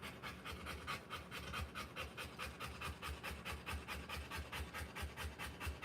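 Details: Rottweiler panting while giving birth to puppies: rapid, breathy rhythmic panting at roughly two and a half breaths per second, steady and unbroken through the whole stretch, with no other clear sounds.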